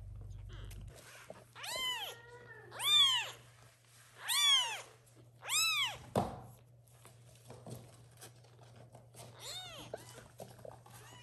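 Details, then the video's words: Young kittens meowing loudly indoors to call their mother cat to come and feed them; five clear arched meows with rich harmonics, spaced about every one and a half seconds, then a fainter meow near the end, with a low hum underneath. "Little kittens meow loudly for the mom cat to come and feed them"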